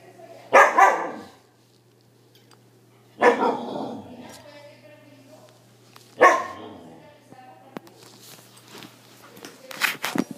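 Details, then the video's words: Siberian Husky named Arya, frightened by a balloon, barking indoors: three loud separate barks spaced about three seconds apart, with scattered clicks and knocks near the end. "Arya asustada"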